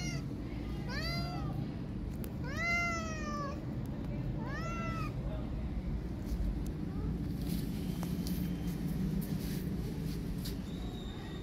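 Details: Tabby kitten circled by a street cat; three arching, harmonic meows in quick succession early on, then quieter with only faint traces, over constant low outdoor hum.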